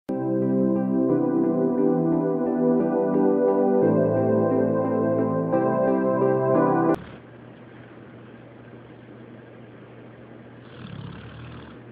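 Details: Sustained organ and keyboard chords play for about seven seconds, stop abruptly, and give way to a low, quiet hiss with a faint swell near the end.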